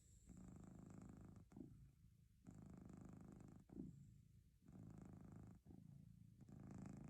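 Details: Continuous low purring from a domestic cat, the rumble cycling through breath phases about every one to two seconds, some phases louder and fuller than others, over a quiet indoor background with a thin high-pitched hum.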